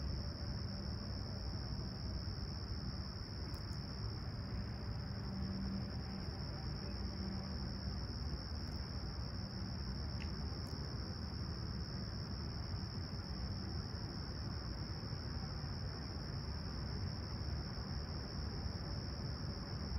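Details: Crickets at Humber Bay Shores, Toronto, on a clear, calm summer sunrise on 28 July 2020 at 20ºC give a steady, high-pitched continuous trill over a low rumble of distant city traffic.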